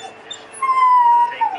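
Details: Greyhound 'talking' to its owner in a single clear, high, steady whine held for about two-thirds of a second, dipping slightly at the end, in a quiet room.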